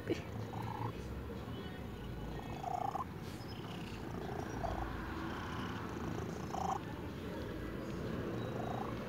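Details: Old white cat purring loudly: a steady low rumbling purr throughout, with a woman's soft cooing voice speaking affectionately over it at intervals.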